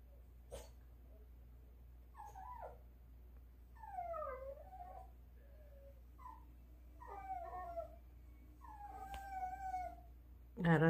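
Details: A dog begging early in the morning for meat, giving high, thin, piping whines that slide downward in short bursts, spaced irregularly, while a woman speaks softly nearby.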